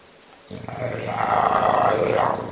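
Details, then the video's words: Bulldog snoring, a long rough rasping breath building in strength over two seconds, with a low harsh rattle throughout. "Bulldog Roncando"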